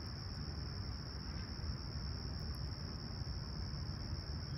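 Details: At dawn on July 28, 2020, in Humber Bay Shores, Toronto, on a calm, clear summer morning near 20ºC, crickets produce one unwavering high trill, steady from start to end, above a thick low-frequency rumble.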